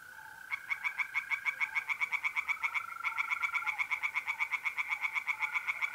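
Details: Tree frogs in a pond in north-eastern Italy on a mid-April night start a fast, rhythmic croaking that swells as more voices overlap, backed by the smooth, unbroken trill of mole crickets.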